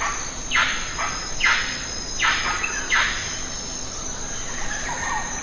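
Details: Lion-tailed macaques in the Western Ghats, feeding on jackfruit they have pulled down. About four harsh, downward-sweeping squeals spaced roughly a second apart, over a steady high insect drone.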